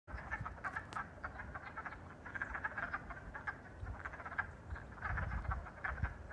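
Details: On the first day of spring 2022, a chorus of wood frogs (Lithobates sylvaticus) gives short, hoarse clucking calls that overlap like quacking ducks.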